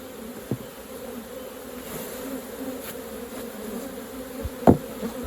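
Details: Even, low buzzing of honey bees at the hive while honey is collected, steady throughout, with two sharp knocks from hive work.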